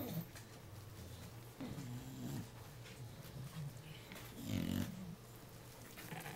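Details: Jacob and Jordon, puppies of Abby and Diesel at three weeks old, make deep rumbling growls in brief rising-and-falling bursts, quiet and close, with faint household noise around them.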